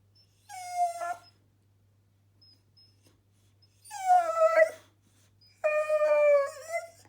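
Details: Bored Boxer dog Millie gives three separated howling whines, each a sustained tonal note with a quavering, slightly falling pitch, the middle one loudest and rough-edged; long quiet gaps between and a low background hum.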